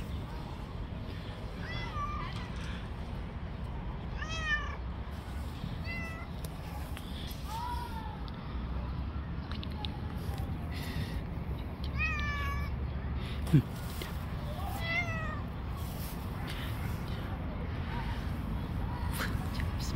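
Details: Outdoor stray cat fighting with other street cats utters repeated drawn-out meows, each bending down in pitch, roughly every one to two seconds at first, against constant low traffic-like rumble.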